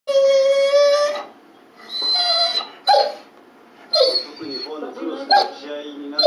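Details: A 9-year-8-month-old Dobermann with terminal lymphatic cancer and spondylosis deformans, unable to walk on 20 January 2018 at 10:50, pleads that it cannot move: one long, steady, high whine, then shorter broken whimpers with pauses.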